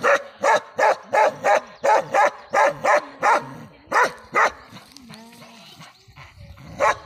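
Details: Bakarwal dog of a pure line, shown with puppies, giving a fast, even series of sharp barks about three per second. After the barks comes a quiet gap with faint whining tones, then one final bark.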